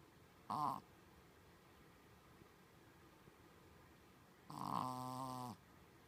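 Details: Sleeping Shih Tzu named Colon giving human-like snores indoors: a short snort near the start, then a longer, fuller snore about four seconds later lasting about a second, over faint background hiss.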